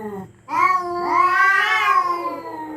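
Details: A territorial cat at night threatening a rival: a short low note, a pause, then a single long, nasal yowl that slowly swells and wavers before tapering off.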